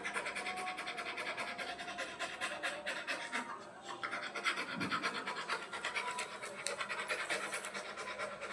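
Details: Black Labrador Retriever named Rani, a playful pet dog, panting in rapid, regular breathy bursts that run steadily through the whole stretch, with faint scratching and low background noise.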